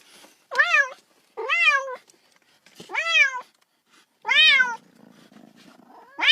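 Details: Domestic cat meowing indoors because it wants to play while a little kitten plays with a ball: four clear, drawn-out meows, each rising then falling in pitch, spaced about a second apart, with a fifth beginning at the end.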